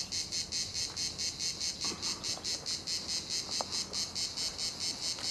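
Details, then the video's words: Cicadas at La Garoupe, Cap d'Antibes, France, produce a clean, sizzling pulsed drone, each buzz repeating at a steady pace of just over two per second. "la garoupe les cigales"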